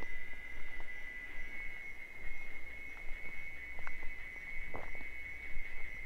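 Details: Mating song of wild cicadas in Bahia's sertão, Brazil: one continuous, piercing tonal buzz at a fixed pitch, with scattered faint clicks and low-frequency rumble beneath.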